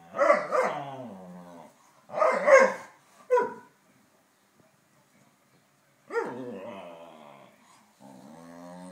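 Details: A Saluki talking with a Pharaoh Hound, two pet dogs: rapid bursts of moaning, yodel-like dog vocals with bends in pitch, a clipped yelp, several seconds of silence, then a long grumbling whine trailing off.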